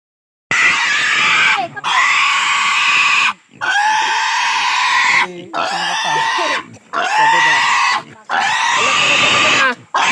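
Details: Native pig squealing during castration: long, loud, harsh screams held about one to two seconds each, broken by short breaths, six bursts in steady succession.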